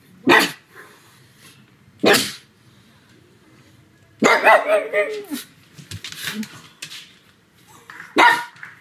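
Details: Domestic pug named Sebastian barking hard at home one sunny afternoon, separate sharp barks around a burst of several quick barks with a sliding whine, some faint voices behind.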